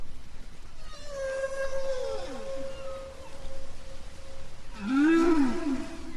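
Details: Underwater hydrophone recording off Bermuda in spring: a humpback whale gives a long steady tone and sliding moans while spinning a bubble net around its prey.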